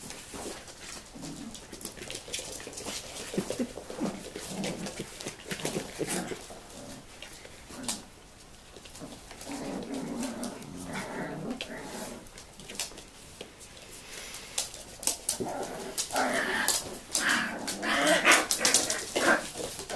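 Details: Tibetan Terrier grandmother teaching her seven-week-old puppies from a 2015 litter indoors: soft growls, whines and whimpers overlap irregularly in a small room, with short rustles and scuffling throughout.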